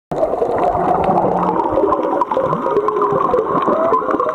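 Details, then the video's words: Wild humpback whales singing miles away off Black Rock, Maui, heard underwater while snorkeling; a dense wash of overlapping tonal moans and whines, with a faint low drone underneath. "Humpback whale song"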